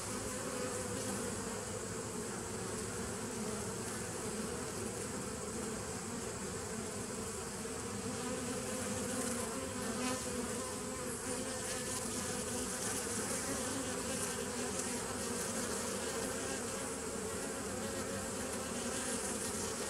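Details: Recording of bees from 27 September 2018. A constant, many-voiced buzz with a steady low drone swells gently at times, and a wide hiss sits above it from start to finish.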